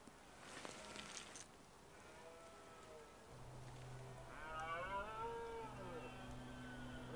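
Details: Red deer stag with a small harem, autumn rut in the Scottish Highlands: a low steady droning tone under a rising, harmonic bellowing roar that swells and fades, with faint rustling at the start.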